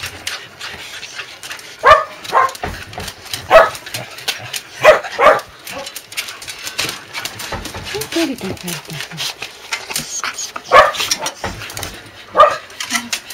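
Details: A clingy corgi at a corgi kennel whines in short, high, nasal squeals in scattered bursts as a person talks, on a rainy day, 5 July 2012, during a spell of continuous rain.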